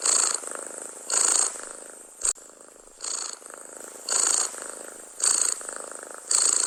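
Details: Cat purring contentedly at close range, a steady grainy rumble that surges louder about once a second in breathy bursts, with a brief click midway.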